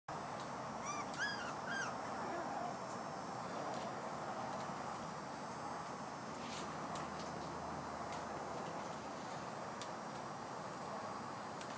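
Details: A five-week-old puppy at play gives a short burst of high, arching whimpers early on, several quick rising-and-falling squeaks. Then only steady broadband hiss and scattered clicks fill the rest.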